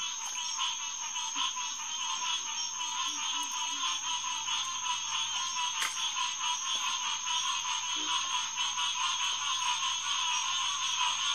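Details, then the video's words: A night chorus of green tree frogs, Hyla cinerea, at SMNWR's Headquarters Pond on June 2, 2021, about 9:10pm. Unbroken, thickly layered calling fills the air, with a steady low hum beneath and a single low note near eight seconds. "Green Tree Frog Chorus"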